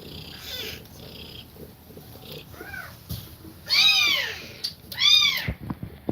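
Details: Mother cat nursing her kittens while breathing fast; after a few faint, blurred cries, three clear arched mews sound, the last two louder and rich in overtones, about a second apart.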